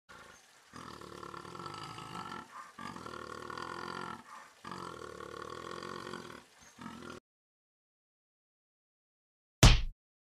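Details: Jaguar that almost attacks gives a series of long, harsh, rasping roars, each lasting about two seconds and separated by short pauses, followed by silence and a sudden loud thump near the end.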